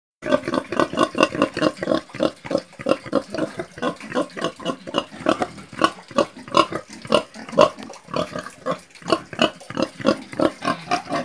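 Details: Pigs grunting steadily, short low nasal grunts following one another in a rapid, uneven stream with several animals overlapping, no other sounds.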